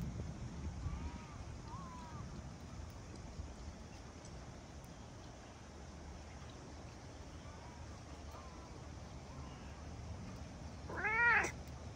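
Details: Big-headed fluffy cat approaching after rain while meowing, then petted: faint short mews early on, then one loud rich harmonic meow near the end rising and falling, over steady low wind and rumbling background noise.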